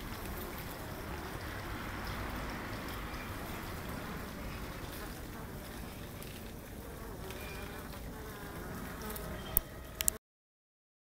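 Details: Honey bees living in a tree: a dense, low continuous hum from the colony, with a few sharp clicks near the end.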